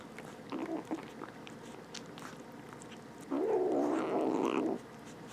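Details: A small stray kitten, one of two rescued from outside, makes noise over food. Brief soft murmurs come first, then a louder, sustained, slightly rising whine-growl of about a second and a half, with chewing clicks.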